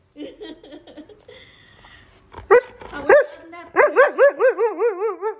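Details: Wulf, a pet Siberian Husky, indoors: a few soft whines and a person's voice, then sharp barks. A steady run of about eight bouncing, yodelling calls follows, rising and falling roughly twice each second.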